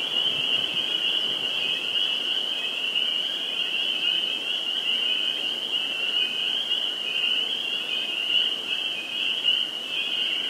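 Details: Spring peeper chorus at a vernal pool in Sudbury, Massachusetts, on 11 April 2019: a dense, unbroken wall of high, shrill peeps blending into one steady ringing band, with no gaps.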